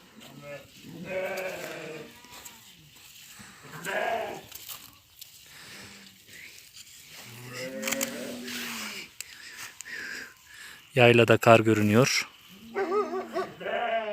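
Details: Lambs on a village farm in the evening, between nursing from their mothers and eating feed, giving a run of short, quavering bleats, some higher and some deeper, interspersed with people talking and a brief loud clatter.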